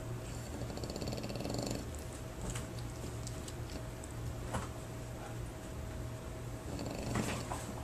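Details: A French Bulldog at a board-and-train dog training facility snores in low, rattling breaths, with a faint steady hum behind.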